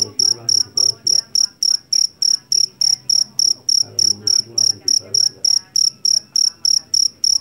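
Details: Shrill chirping of a jangkrik jeliteng field cricket from a Javanese rice paddy, known for a loud voice. Crisp high pulses come evenly, roughly every third of a second, with soft muffled low noise beneath.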